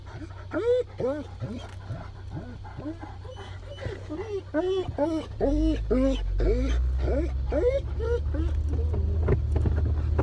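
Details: Great Pyrenees dogs riding in a car on a rainy day toward a walk at Harvest Walk shopping mall in Oyama, Japan, whining with excitement: a rapid series of arched, rising-falling whines, with steady engine rumble beneath.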